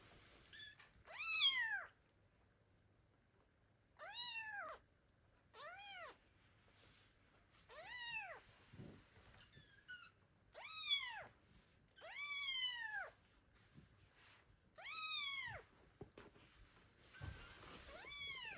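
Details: Loud meowing from kittens left by their mother cat, calling for her: a run of about nine sharp, arched meows, mostly short, some longer and strained, every one to two seconds, otherwise quiet.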